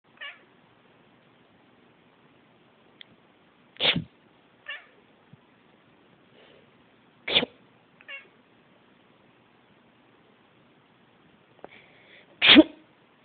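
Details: Domestic cat indoors, complaining about a sneeze, gives short sharp meows and chirps, scattered singly across the recording with quiet gaps between them, one loud clipped cry near the end.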